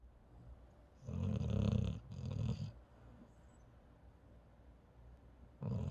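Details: A paralyzed dog sleeping indoors; low rumbling snores in two bursts near the start and another at the end, separated by quiet breathing.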